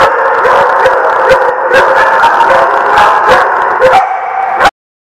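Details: Chorus of dogs at a barking lot, recorded 23 May 2016: many overlapping barks and drawn howls filling the air, ending abruptly after under five seconds.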